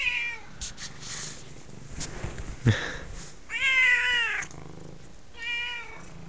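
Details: Attention-seeking F2 Savannah cat, female, about 9 months old, indoors: three meows, the first fading at the start, a loud arched meow near the middle, and a shorter one near the end, with rustling and thumps between.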